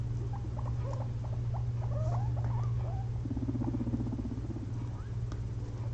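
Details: A pair of pet guinea pigs dozing after a long day spent eating frozen blueberries give quick soft squeaks, some rising, then a low rumbling chatter; a constant low hum underneath.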